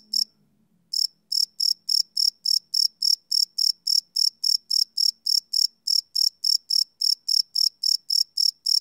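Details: Crickets chirping at night, recorded live on a Sony PCM D100 field recorder: after a near-silent first second, a steady train of short, high, shrill chirps follows at about four pulses per second, with nothing else audible.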